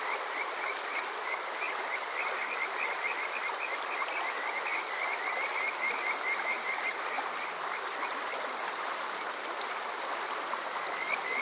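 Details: Kajika frogs on a summer night at Water Park Shirayama, Yokoze, Saitama, Japan, recorded with a TASCAM DR-05X: faint, densely overlapping whistled notes form a continuous shimmering trill, half buried in loud rushing stream noise.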